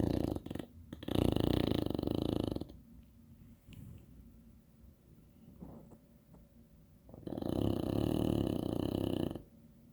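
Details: English Bulldog. An English Bulldog snores with heavy, rattling, low-pitched rasps that come in long loud bursts. Between them, softer wheezing breaths fill the quieter stretches.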